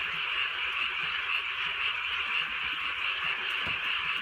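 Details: Many frogs croak together on a drizzly Korean countryside night. Bright, pulsing calls recur about twice a second over a dense, even chorus, with the soft patter of rain behind them.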